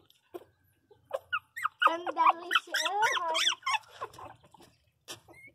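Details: Pinscher Magaly, a small pet dog, indoors: a tight burst of rapid squeaky whines and yelping cries packed into about two seconds, wavering up and down, with scattered soft clicks and faint voices around it.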